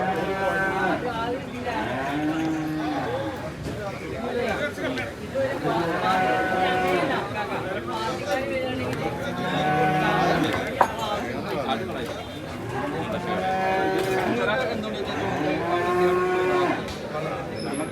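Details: Buffalo calves at a livestock market where animals are sold, a group of five tied up after purchase; long, deep, drawn-out moos rising then falling, about four calls across eighteen seconds, with people chattering in the background.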